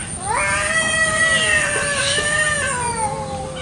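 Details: Village cats in a garden one morning, quarrelling fiercely over territory: one sustained drawn-out howl that starts with a quick upward sweep, then wavers at a steady pitch with slight wobbles and dips for over three seconds.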